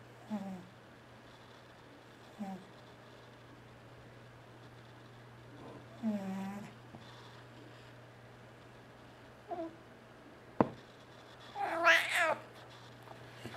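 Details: Sleeping house cat T-Jay gives scattered short snorts and rasping snores between quiet spells, then a louder, harsher burst near the end, with a steady low electrical hum in the room.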